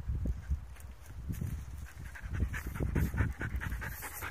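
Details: Belgian Malinois panting while playing frisbee in Bergen, Norway: rapid, rhythmic breathy pulses, roughly four a second, low and husky, with faint outdoor hiss behind.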